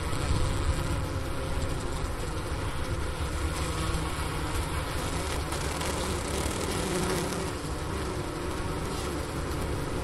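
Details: Honey bee hive in mid-January cold (15°F, January 16, 2024, about 4 PM) at Wooster, Ohio State University, captured with a Sony recorder at the inner-cover opening beside a sugar brick for winter food. Unbroken droning buzz with a low, even texture.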